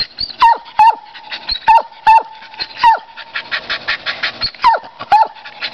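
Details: Pet dog barking at a squirrel outdoors, with sharp, high barks at uneven intervals, some in pairs, and a burst of rapid chattering pulses between barks in the middle.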